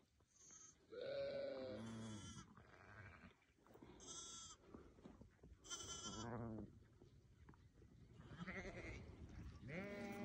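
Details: Newborn lambs bleating in a series of wavering, harmonic-rich cries, some high and thin, others lower and quavering, several overlapping across the stretch with short pauses between.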